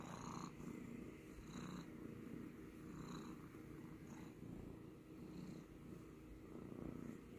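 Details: Domestic cat purring continuously, a low vibrating rumble rising and falling in gentle rhythmic breaths roughly every one and a half seconds, close and quiet.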